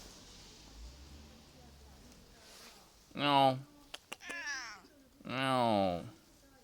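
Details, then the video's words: Affectionate Japanese cat being called and played with indoors, giving two drawn-out, harmonically rich meows about two seconds apart, each rising then falling, with a short click between them and a person's voice softly nearby. "甘える猫 ネコちゃん、おいで！little cute cat,come here!"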